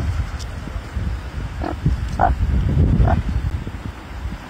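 A meerkat gives a few short, nasal peeping calls over a low, steady rumble.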